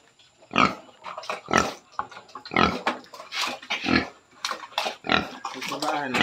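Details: Pregnant sow at 112 days, close to farrowing, grunting in a series of short, rough, broadband bursts roughly once a second, with a faint steady high hum in the background.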